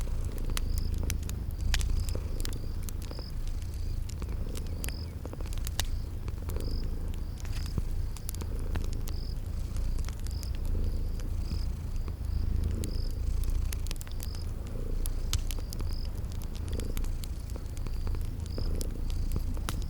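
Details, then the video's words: Sleeping kitties purring in a cozy spring garden ambience by a crackling fireplace: a steady low rumbling purr throbbing underneath, sharp fire crackles scattered throughout, and a thin high chirp repeating roughly every second. "Sleeping Purring Kitties"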